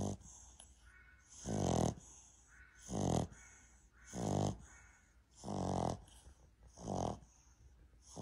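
A Boston Terrier snores in slow, rumbling breaths repeated about every second and a half.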